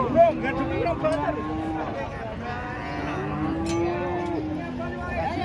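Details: Huge cattle coming down off a truck give drawn-out, level, low-pitched moos that run for several seconds, several animals calling over each other, with faint voices in the background.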